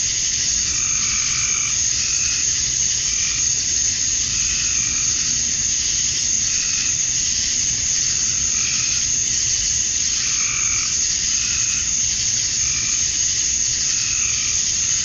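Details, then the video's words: Summer-night cicadas in Georgia, USA, males singing to attract females at dusk: unbroken high-pitched hissing drone, with rhythmic lower pulses recurring at short intervals across the whole stretch. "Cicadas at Dusk, Summer Night"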